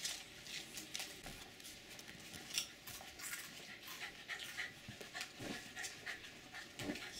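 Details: An excited male Jack Russell Terrier jumps and begs for potato chips with quick, breathy panting and a few faint whimpers.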